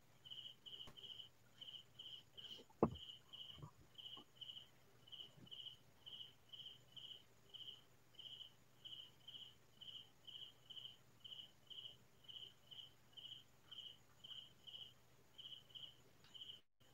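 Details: Crickets in the fields of the Philippine countryside at midnight: a long run of short, high, pulsing chirps repeated about twice a second, with one sharp knock and a few faint clicks early on.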